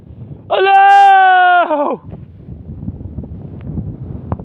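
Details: A long, steady, level bleat from a sheep during a wolf attack, held for about a second before dropping away, followed by quieter outdoor noise with faint clicks.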